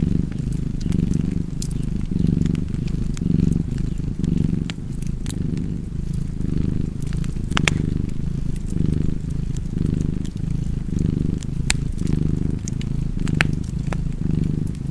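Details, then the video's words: Purring cat by a fireplace in a cozy setting; a deep continuous rumble swelling and fading with each breath, over a steady bed of snapping, crackling fire. "Purring Cat and Fireplace 4K / Wallpaper Tv Art Çerçeve / Cozy Purring Cat ASMR / Kedi Mırlaması"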